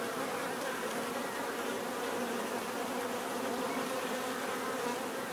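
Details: Bees give a natural buzzing: a dense, steady drone of many overlapping wingbeats with a low hum and a brighter whine on top, holding an even level throughout with no other clear sounds.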